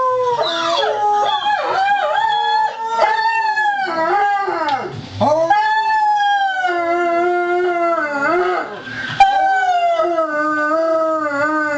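A Weimaraner howls on command, drawn-out tones sliding up and down with brief dips between breaths.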